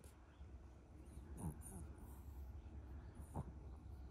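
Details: Chihuahua just waking up, making the cute, baby-like nasal sound heard every morning, rendered "kupi kupi": two short, squeaky, downward-sliding nasal notes about two seconds apart over a steady low indoor hum.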